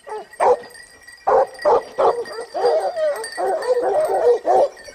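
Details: Hunting pack of Basset Hounds in Spain, 2015-16, their second season; loud separate bays from several dogs, some drawn into longer wavering howls, with a faint high ringing tone behind.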